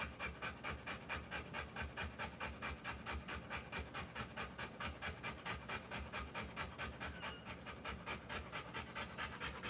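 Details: Rottweiler female giving birth to puppies, panting fast and steadily, about two short breathy gasps per second, each a broad airy rasp, continuing evenly throughout with no other clear sounds.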